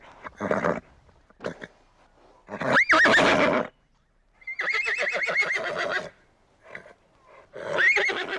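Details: Horses whinnying: several loud, shaking neighs with trembling, wavering high tones, each lasting about a second and separated by short quiet gaps, plus brief snorts and rough breathy bursts between them.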